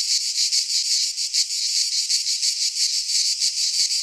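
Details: Cicadas singing in midsummer in a Greek pine forest: a dense, continuous high buzzing chorus with a rapid pulsing throb, steady in loudness throughout, no other sounds.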